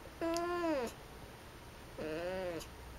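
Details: Pet cat Akari-chan, climbed up into a storage closet with the light switched on, answers with two drawn-out, falling meows about a second apart, over faint room hiss.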